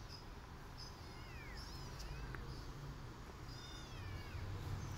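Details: Nursing kittens bitten back at by their mother cat, who strikes them for biting her during feeding; thin, falling mews come in two bursts amid constant low rumble and soft chirping.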